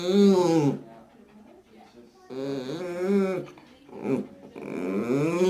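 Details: A blind 19-year-old dachshund, vocal because he communicates through sounds, gives three or four long, revving growls that rise and fall like a motorcycle engine in quick succession, separated by brief pauses.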